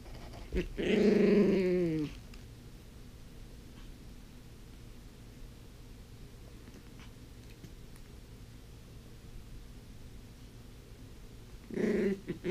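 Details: Toph, a blind puppy playing with her toys indoors: a drawn-out harmonic growl lasting about a second and a half, then quiet room with faint taps, and a second shorter growl near the end.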